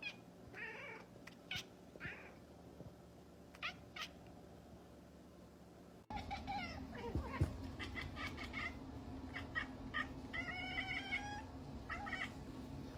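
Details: Domestic cat meowing, the meows presented as a cat's way of saying I love you; several drawn-out, harmonic-rich meows in two bursts, the later ones louder and stacked, over a low indoor background hum.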